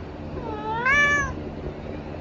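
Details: Tabby cat indulging in treats gives a single arched meow, rising then falling in pitch, lasting about half a second, with a faint low background hum.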